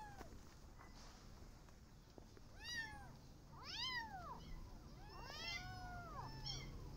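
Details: Garden outing of a Persian cat and her adopted kittens as they watch rabbits; four short, arching meows come roughly a second apart, thin and high-pitched, over a soft low background rumble.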